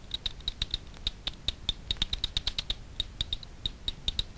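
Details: Echolocation of Daubenton's bats foraging low over Miedwie lake, north-west Poland, heard through a frequency division ultrasound detector at night: crisp snapping clicks at an uneven pace, bunching into short fast groups.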